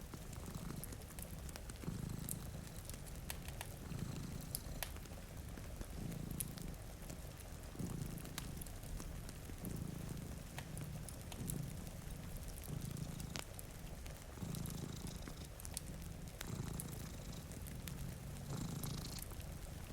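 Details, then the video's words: Two dozing cats purr by a rainy window, a steady low throbbing rumble pulsing with each inhale and exhale, while rain falls continuously and a fire snaps and crackles in the background. "Purring Cat"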